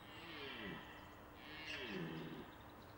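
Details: Red deer stag during the autumn rut at the end of September, when mature stags compete for hinds; two drawn-out, harsh roars with falling, harmonic-rich tones, each about a second long, over a steady background hiss.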